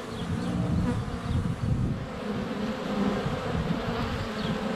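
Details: A swarm of honey bees in flight at the hive entrance on a sunny February day, recorded less than a foot away on a GoPro Hero 7 Black. A thick, deep, continuous droning hum swells and fades slightly.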